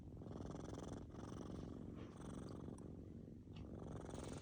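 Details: Kittens fast asleep make a steady, deep, buzzing snore. The rattling rumble runs almost without pause, dipping briefly near the one- and three-and-a-half-second marks.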